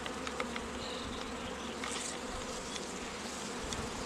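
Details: Honey bees at an apiary where queens are raised from queen cells: a steady, dense droning hum with a low tone, and small bird chirps scattered above it.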